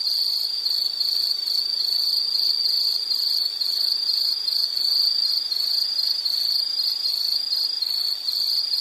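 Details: Insect calling as a calming nature sound: a continuous high, bright trill of rapid pulses, steady and unbroken, with a faint hiss beneath and no other animals.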